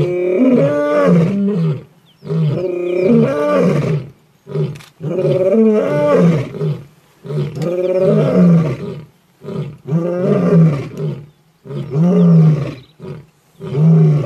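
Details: Male lion with a kill at Lion Sands, African bush: a sustained bout of loud, deep, groaning roars, each moan about one to two seconds long, coming roughly twice a minute's worth of pulses in close succession.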